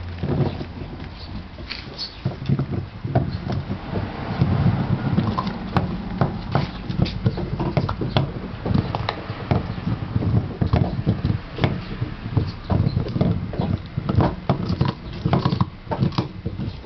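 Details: Basset Hound chewing gum: dense, wet smacking and clicking jaw sounds in quick irregular bursts throughout, heavy in low thuds with sharp crackling transients, steady and unbroken for the whole stretch.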